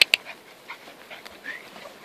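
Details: Alfie the whippet playing with kelpie puppies on a friend's farm; two sharp high yelps open the moment, followed by soft breathy whines and panting puffs over a quiet background.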